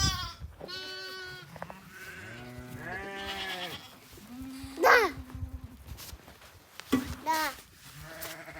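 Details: Baby lamb bleating in a series of wavering, nasal calls, some short and some drawn out, with a louder quavering bleat near the middle, mixed with people speaking Korean nearby.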